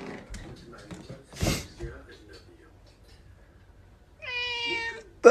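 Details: Pet cat indoors gives one clear meow falling slightly in pitch near the end, after a stretch of quiet room noise and a few soft knocks.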